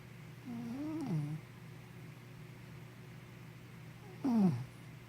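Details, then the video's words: Henna the sleepy puppy snores in a quiet room. A longer, wavering nasal tone dips low, then a shorter, sharper snore falls steeply about three seconds later. A soft steady hum lies underneath. "Snoring Sleepy Puppy"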